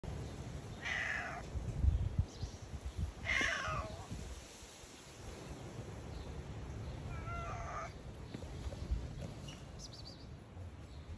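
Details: Stray cat outdoors on an island meowing to ask for petting, three drawn-out meows spaced a few seconds apart, the middle one loudest, over low rumbling background noise.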